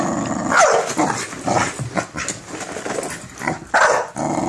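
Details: Minerva the American Bully, scared of a cereal box, growls and barks, with a couple of rising, whining yelps standing out among the rough noisy calls.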